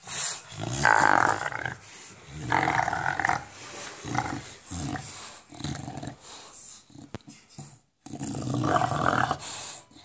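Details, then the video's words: Enzo, an English Bulldog, growling with a monster-like sound during ball play; harsh rumbling growls come in repeated bursts of one to two seconds, broken by brief quiet gaps, indoors. "English Bulldog making monster sound while playing with a ball"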